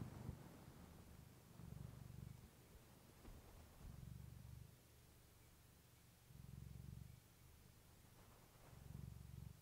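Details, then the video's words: Clementine, a pet cat, purring into a fluffy microphone for relaxation; deep low purr rising and falling in clear breath cycles roughly every two to three seconds, otherwise quiet. "Cat purring you to sleep with fluffy mic"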